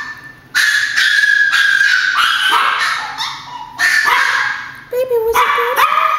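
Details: A group of Chihuahuas reacts to what they think is grandma at the door. Loud, overlapping high barks blend into drawn-out yelping howls that rise and fall, with almost no pause.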